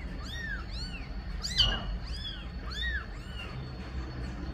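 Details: Meows tied to a mother cat asking for her kittens to be placed in the nest: a quick series of short, arched, high-pitched mews, rising then falling, with one sharper squeaky note midway, over low background hum.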